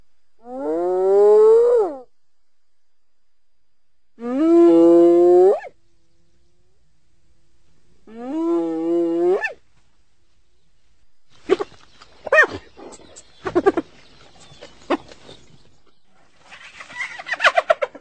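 A hyena gives three long, rising, hollow calls, followed by short rough grunts and chattering bursts.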